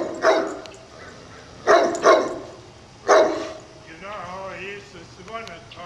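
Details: A purebred Great Pyrenees that spends all day on top of a town ridge barking loudly, calling to everyone below: four deep, booming barks, first a single, then a quick pair, then one more, followed by a man talking.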